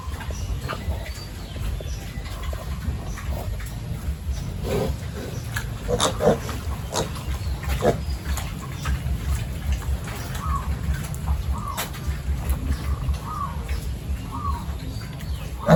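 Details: Pigs on a village farm during the morning routine of mixing feed, feeding and cleaning the pens; a steady low rumble of grunting, with short bent squeals between ten and thirteen seconds, amid sharp clanks and clatter of farm work.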